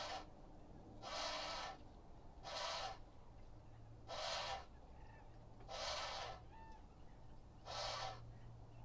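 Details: An Indian crested porcupine in the Hula Nature Reserve, Israel, a wetland of lakes and marshes, on 26 January 2021 gives harsh, hissing bursts about every two seconds.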